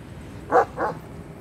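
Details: Ala shepherd dog (Turkish shepherd dog) barking near its newborn puppies: two short, mid-pitched barks about a quarter-second apart, the first louder, over a quiet background.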